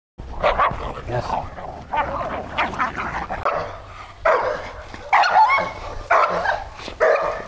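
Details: Dog reacting aggressively toward other dogs, giving loud harsh barks in clusters roughly every second, some yelping and strained, with a low steady hum beneath and possible voices in the background.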